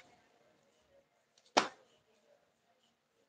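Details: A single sharp snap or slap breaks an otherwise quiet indoor stillness, with only faint low background hum around it.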